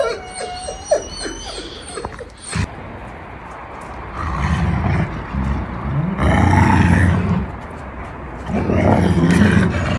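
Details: A gray wolf and a black wolf fight to be alpha, growling and snarling in low, rumbling bursts.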